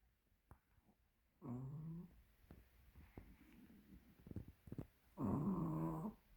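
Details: Chubby Pomeranian dog asleep indoors, snoring in two loud rasping, harmonic breaths about four seconds apart, with softer breathing and faint clicks between them in a quiet small room.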